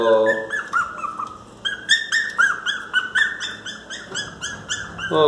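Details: Miniature Pinscher crying loudly to be let into the house, giving rapid high-pitched whines and yelps about four per second, each bending up then down, while a woman speaks soothingly in Portuguese.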